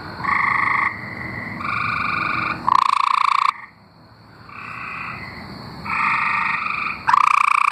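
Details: A group of tree frogs from Arkansas singing long, buzzy, pulsed trills lasting about a second each, neighbours answering one another with a brief quiet gap midway.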